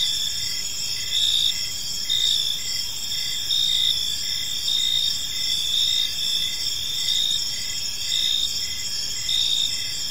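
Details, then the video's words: Steady evening chorus of crickets in a park, high buzzy trills overlaid with rhythmic chirps and gentle swells in volume every couple of seconds. "Park Serenade: Cricket Sounds in a Peaceful Park | Evening Ambience"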